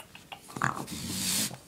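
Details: Pet raccoon, a female kept indoors, being hateful and angry: a brief tonal squeal followed by a breathy, broadband hiss lasting about half a second in a small room, with a person's voice calling her just before and after.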